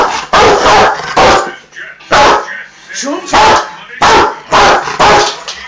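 A Rottweiler gives loud, harsh barks in quick bursts, with a person speaking briefly.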